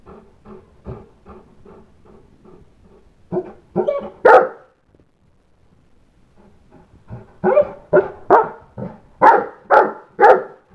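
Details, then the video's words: St. Bernard named Bolander barking because the kids went outside to play without him; soft, quick barks for three seconds, a louder burst near four seconds, a short pause, then a run of about six loud, deep barks. "St. Bernard Bolander barks very loudly"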